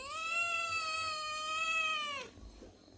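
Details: Pet cat at home, one of the owner's hungry cats Piku and Chiku, asking for food with a single sustained meow lasting about two seconds, level in pitch and then dropping away sharply at its end before quiet follows.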